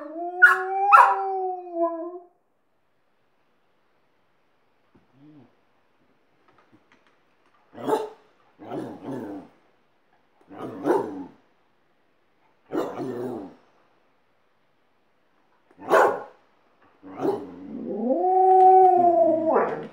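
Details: Alaskan Malamute with the second pet dog it taught to howl. A brief howl opens, followed by quiet, then a string of short, low, gruff woofs. A rising howl swells at the close.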